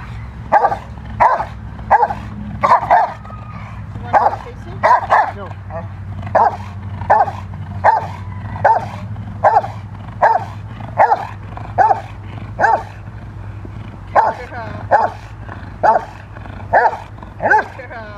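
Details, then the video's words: Protection training session for Rottweiler female Freya vh Odom, preparing for IGP1, with a long steady series of forceful barks, roughly one per second for eighteen seconds, a voice briefly heard early, constant low background hum. "Rottweiler protection training"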